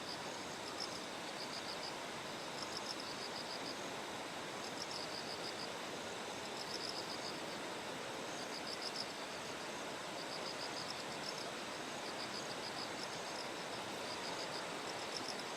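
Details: Bell cricket ringing in rhythmic clusters of fast, high pulses beside terraced rice fields fed by a clear stream in Kikuchi, Kumamoto, Japan, on the typhoon-day morning of 6 September; steady water rush fills the background.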